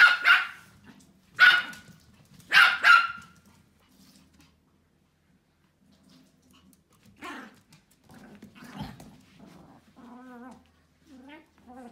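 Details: A group of Pomeranian puppies, led by a female, gives three or four shrill, clipped barks in quick succession, each bright and piercing, then fades into softer whines and yips while a person talks quietly underneath.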